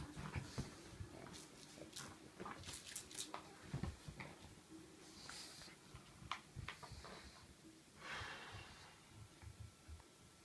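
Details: Pug playing indoors with a miniature poodle puppy in a small room: snuffling, wheezy breaths and short snorting grunts, with scattered thumps and scuffles of play throughout.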